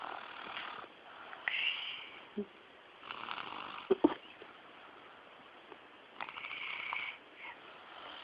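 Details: Pet dog snoring in rough, raspy breaths, with louder wheezy bursts near two and seven seconds and quiet gaps between them.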